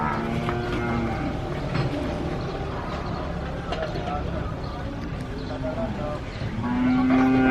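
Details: Cattle being unloaded from a truck at a cow farm low with deep, drawn-out moos over a busy background of rumbling engine noise and voices.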